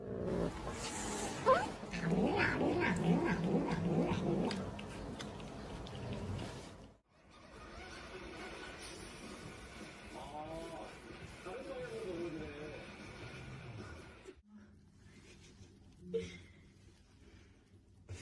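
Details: Kittens in a funny home compilation: a noisy, clattering opening gives way to several arched, wavering meows in the middle, followed by quieter room noise and a brief sharp sound near the end.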